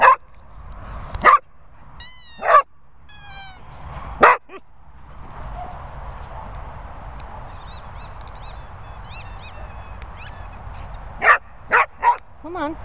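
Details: English Springer Spaniel giving loud sharp barks at irregular intervals, about a dozen across the stretch, over a constant background drone with some high squeaky chirps.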